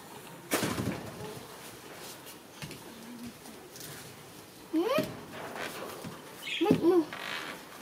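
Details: Kitten named Chomrean, kept as a pet indoors: two short high meows, the first rising sharply, the second a brief wavering cry near the end, after a soft thump early on and quiet room noise between.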